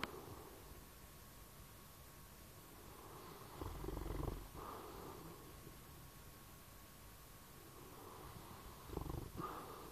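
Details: Bloodhound asleep, snoring: two deep, rough rumbling breaths roughly five seconds apart, each swelling and fading, separated by softer low breathing over a faint constant hum.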